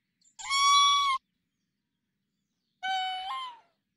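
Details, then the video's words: Raccoon dog, or tanuki, calling in a forest: two drawn-out, harmonic whining notes about a second and a half apart. The first is steady and high. The second starts lower and jumps upward near its end. "A mysterious tanuki sounds in the forest."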